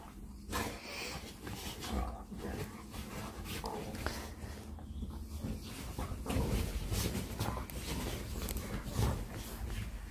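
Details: American Bully play-fighting on a bed: steady low, rough growling with snorting breaths running through the whole stretch, louder surges near the middle and end, over soft rustling of bedding.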